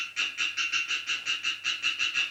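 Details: Male European tree frog (Hyla arborea) in wetlands of northern Isère, France, gives a rapid series of harsh, nasal croaks, about five per second; an example of a fast song, which females prefer over slow ones.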